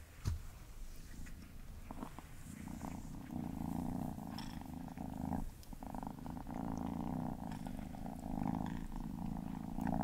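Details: Gordy, a pet cat, while eating: a steady, low, rumbling purr-like sound runs in long stretches broken by short pauses, with a few sharp clicks early on.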